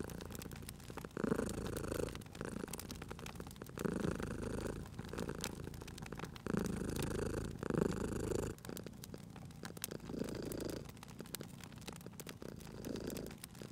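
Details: Low vibrating purr from a cat sleeping near a crackling fire, cycling between louder and softer phases every couple of seconds, with scattered wood snaps and pops in the background.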